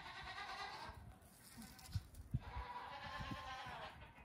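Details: Young goat kids on a farm, the oldest nearly two weeks old, let out of their stalls for a morning play session; two harmonic bleats, one near the start and a longer one in the second half, over low thumping and rustling.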